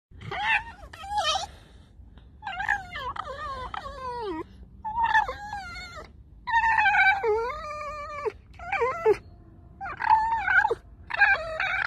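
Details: Tame fox named Alice making a string of creaky, harmonic whining calls, each about a second long, sliding downward, in bursts separated by short pauses across the clip.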